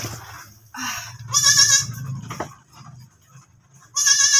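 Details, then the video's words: Goat that has just given birth again: two loud, bright, strained bleats, the first lasting about a second, the second starting near the end, over a low steady hum and a brief soft bleat early on. "NANGANAK NA NAMAN ANG ATING KAMBING."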